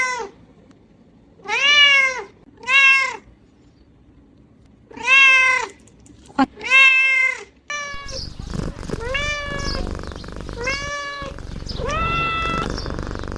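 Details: Playful kittens meowing: a run of short, arched, harmonic-rich meows at irregular intervals, some paired, followed by a series of flatter, longer meows over a rougher, noisier background in the second half.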